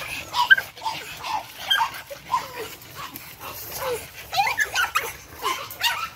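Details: Energetic Boston Terrier pups, 8 weeks old, from Charm's litter, give scattered squeaky yips and brief whimpers, some notes sliding downward, amid a steady hiss of background noise.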